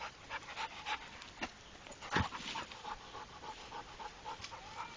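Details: Steady fast panting from the trained Pit Bull Rako, breathy puffs repeating evenly, broken by a single sharp clicking burst near the middle.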